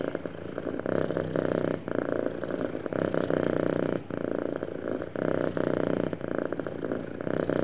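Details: Happy domestic cat purring smoothly: a steady low rumbling purr with fine pulsed texture, swelling in blocks about every one to two seconds with brief dips as breaths change.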